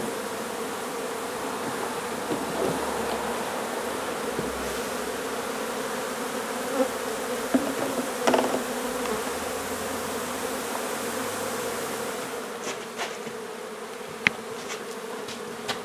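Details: A massed buzz from a honey bee colony during hive removal from an old home in Donna, Texas. The drone holds steady throughout, with scattered taps and a cluster of sharp clicks in the last seconds.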